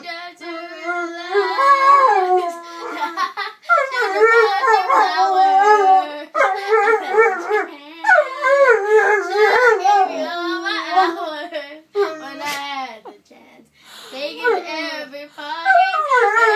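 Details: A pet mastiff that loves to sing howls in long, wavering, tuneful notes that rise and fall along to Bruno Mars' "When I Was Your Man" playing behind.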